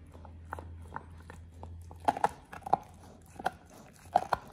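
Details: Oliang, a Pit Bull, eating a raw ostrich paw for the first time indoors: sharp wet crunches and bites land in uneven bursts after a steady low hum in the opening two seconds.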